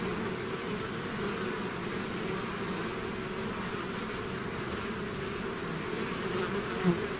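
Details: A bee swarm that has left its hive fills the air with a steady, rumbling buzz, even in loudness, with one short louder wingbeat near the end.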